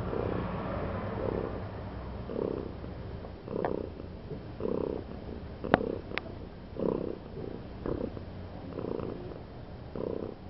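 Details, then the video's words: Loud purring from a domestic cat, a steady low rumble rising and falling with each breath about once per second, breathy bursts clearly pulsed, with a couple of sharp clicks midway. "The cat Daisy is purring loudly"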